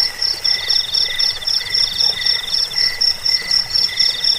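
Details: Cricket chirping, offered as a rat-repelling, sleep-inducing sound and as a tutor recording for songbirds: high, bright pulsed chirps repeated about four times a second, over a steady lower trill and a buzzing band, with no other sounds.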